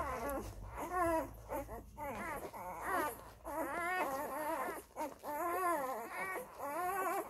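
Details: Labrador Retriever puppies of the F litter feeding from their mother Molly; loud continuous wavering whines and cries, several pups overlapping, rising and falling in pitch, with brief pauses between bursts.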